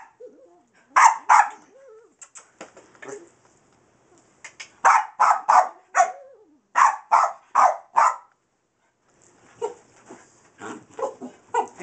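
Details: Skillet, a small Boston bull and wiener dog cross playing laser light, fires off rapid sharp barks in runs of three or four, about three a second, with softer yips trailing off at the end.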